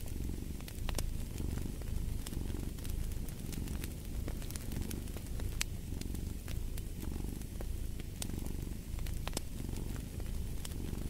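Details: Deep rhythmic cat purr, a rumbling drone rising and falling with each breath about once a second, while a fireplace crackles and snaps in the background.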